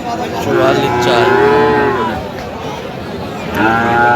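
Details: Friesian or cross-breed bull calf offered to a Madaripur buyer on 21 October, giving one long, level, nasal moo of about one and a half seconds, then another starting near the end, over men haggling.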